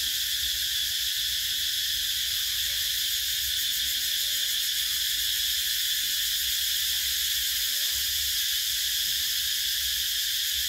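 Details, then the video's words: Cicada chorus of summer, a sustained sizzling whine high in pitch, steady in volume, with faint soft sounds lower down. "Tiếng Ve Sầu kêu mùa hè"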